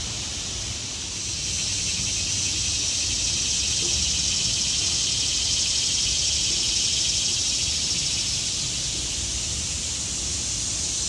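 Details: Shrill continuous cicada chorus from trees in autumn, swelling slightly after the first second and then holding an even, high buzzing hiss, with faint low-pitched background noise.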